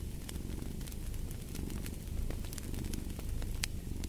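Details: Low, rumbling cat purr under a crackling fireplace, the hum rising slightly in loudness partway through as bright pops of burning wood break in.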